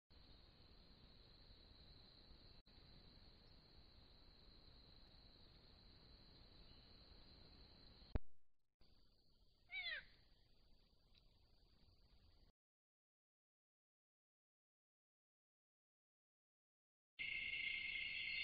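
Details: Caught on a camera trap in West or Central African forest, an African golden cat (Caracal aurata) gives a single brief, falling meow-like call against a steady hiss.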